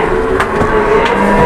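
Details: Cattle at a busy livestock market give sustained, even-pitched lowing with a layered tone. Brief thumps and people's bustle sound in the background.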